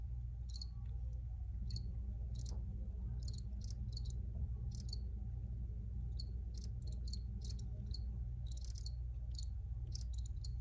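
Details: Crickets keep up scattered, piercing chirp bursts, sometimes clustered, sometimes spaced a second or more apart, with a steady low background drone throughout.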